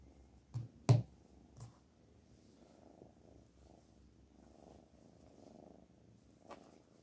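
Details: Low, quiet purring from a pet cat called Black Panther, broken by a few sharp taps near the start and a click toward the end.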